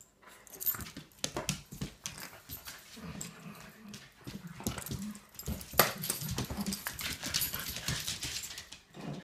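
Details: Three Shetland Sheepdogs playing boisterously on a deck early on a Sunday morning: low rumbling growls in bursts, mixed with scuffling, scratching and clicking from paws and bodies, with a few sharp yelps.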